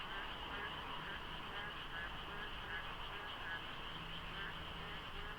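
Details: Frogs fill the dark at the Deokso IC expressway interchange at dawn during the rainy season, with light fog and little traffic. A dense, steady chorus of overlapping croaks blurs into a continuous droning wash over a low road rumble.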